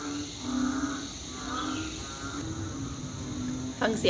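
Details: Banded bullfrogs calling loudly after rain the previous night: low, drawn-out mooing notes rise and fall in overlapping waves, with a sharp human noise near the close.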